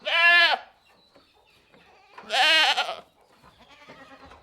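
A goat gives two loud, wavering bleats about two seconds apart, with fainter bleating between.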